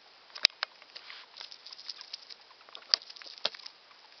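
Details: A male pet hamster named Fufu, about a year old, eating: soft, scattered crunching and nibbling clicks broken by a few sharp, louder snaps.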